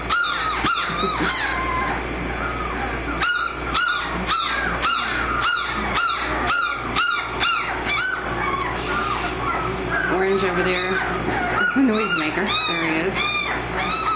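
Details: American Mastiff puppies at 18 days, Kimi x Viho litter at Sycamore Creek Ranch, keeping up a steady chorus of shrill whimpers and yelps almost twice a second, some calls overlapping, with a quieter stretch of lower moans.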